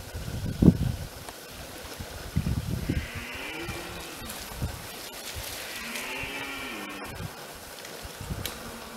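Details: Red deer in France, 2017, giving two long, arching groaning roars a couple of seconds apart, each rising and then falling, with thumps and rustling handling noise early on.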